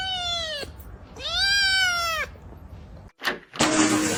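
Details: Domestic cat giving two drawn-out, harmonic-rich meows, each about a second long, rising slightly then sagging at the end, separated by a short pause, followed by a sharp clatter and rushing noise.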